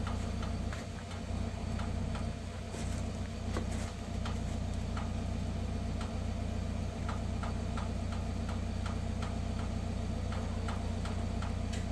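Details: Steady low engine idling with fast regular ticking and scattered clicks, no animal voice.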